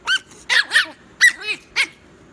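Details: Chihuahua at bedtime, producing a rapid run of five or six sharp, high yapping barks with a slightly growly edge, each brief and closely spaced.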